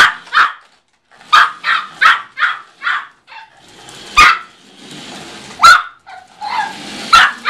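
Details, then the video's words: Small Yorkshire Terrier, about one year old and weighing 4.5 lb, barking while chasing a car: sharp high yaps in quick bursts, then scattered barks over a rushing engine or road noise. "Yorkshire Terrier Midas Muffler chasing a Car"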